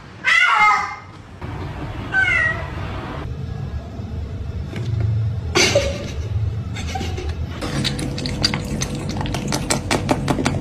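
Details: Domestic cat giving two clear meows in the first few seconds, followed by shorter faint calls and then a stretch of rapid clicking and tapping noises indoors.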